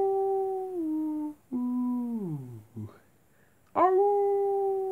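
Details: Wolves howling at night, the long tones bending downward and dropping lower into a falling, fading moan; after a pause a new howl starts with a sharp rising swoop and then holds level.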